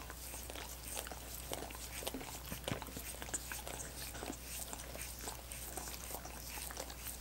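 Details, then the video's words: Dogs lick and nibble at coconut water popsicles: quick wet laps, occasional sharper crunchy bites, and sticky smacks follow one another rapidly above a low droning hum. "Dogs Licking Coconut Water Popsicles"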